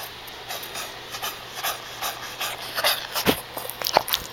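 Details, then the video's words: Shih Tzu named Duke with heart disease, coughing and struggling to breathe indoors the night before a vet appointment; a run of short harsh hacking bursts grows louder toward the end, with faint household hum beneath. "Shih Tzu with with Heart Disease dog coughing hard to breathe"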